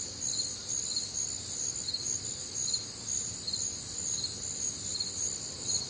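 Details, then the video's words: Many crickets sing together through a humid Midwestern summer night, with bright, high-pitched pulsing chirps about twice a second over an unbroken ringing trill and quiet low background noise. "Night Time Cricket Sounds"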